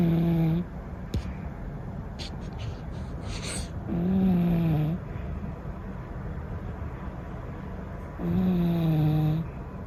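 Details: Cat snoring steadily: low, buzzy, slightly falling snores of under a second each, returning about every four seconds with quiet breathing between, plus a few faint clicks and rustles early on.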